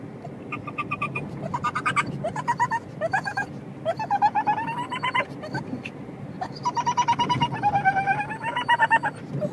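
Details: A male pug gives high, squeaky whines in pulsing bursts, sounding almost like a dolphin's chatter, while riding in a car, which he loves.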